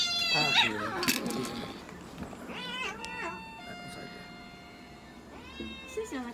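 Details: Munchkin cat named Moka at a veterinary clinic in Nagoya, Japan, during an examination and blood draw, giving three drawn-out, harmonic meows that rise and fall, spaced across several seconds, with faint human voices in the room.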